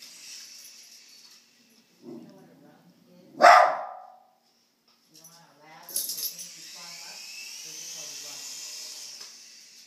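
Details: Apollo, a pet dog, barking at a remote control toy helicopter indoors: one loud, sharp bark near the middle, with soft human speech before it and the helicopter's high whirring motor afterwards.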